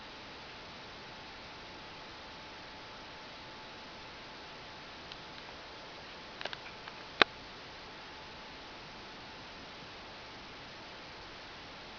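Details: Steady quiet hiss of a small room with a few faint rustles and one sharp tick near the middle, and no animal voice.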